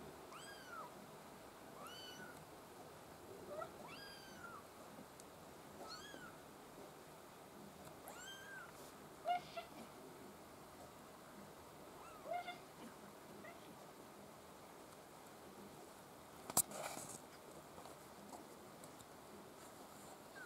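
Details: Five Maine Coon kittens, black-white and blue-white, born 6 August 2015, mew in thin, high, arching voices every second or two, several overlapping irregularly, with a sharp click or knock near the end.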